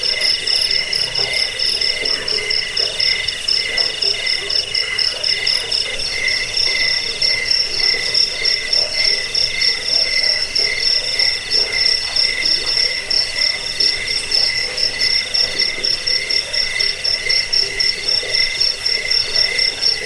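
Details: Long stretch of cricket chirping intended to repel rats, aid sleep and train birds; constant high multi-layered trilling with a fast throbbing top note, plus sporadic soft lower calls throughout.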